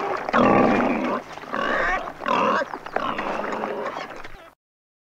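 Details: Wild boar, giving a run of four loud, harsh, noisy squealing grunts, each lasting about half a second to a second, before an abrupt cut to silence.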